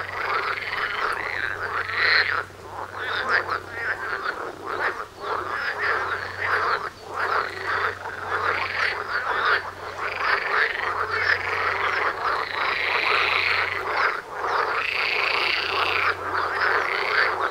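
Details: Frog concert at a doorstep, a massed chorus of croaking that surges and dips, individual rattling calls stacking into bursts every few seconds over a low steady hum.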